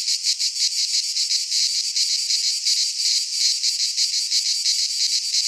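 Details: Midsummer cicada chorus in Greek pine woodland. A loud, shrill buzz stays high and continuous, swelling and fading in rapid rhythmic waves.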